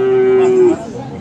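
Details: Bull calf moo recorded at Aftabganj livestock market, Dinajpur, among Friesian and crossbred calves on 10 December: a loud, steady, even-pitched bellow held for under a second before cutting off, with faint background hubbub.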